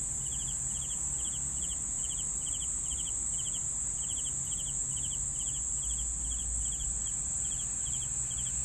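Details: Steady cricket chirping, pulsed trills of three or four beats recurring about twice per second without a break, above a continuous high whine and faint low hum.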